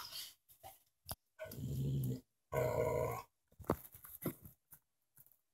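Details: Gator, a bacon-loving pet dog, 'talks' in two low, rumbling growl-grumbles of about a second each with a short pause between. Faint human voice and light background noise are also present.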